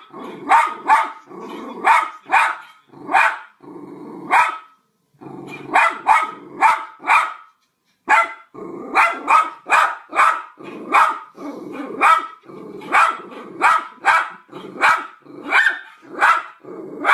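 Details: Dog barking through a Skype connection: a long run of loud, clipped barks, mostly in pairs and triplets, with only brief gaps between bursts.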